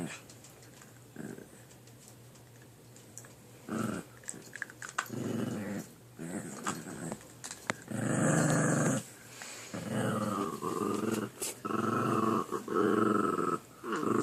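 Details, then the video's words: Two puppies wrestling over a chew indoors, rumbling growls rising and falling in repeated bursts, some with a higher whining edge, amid clicks and scuffles. "Puppy makes weird noises"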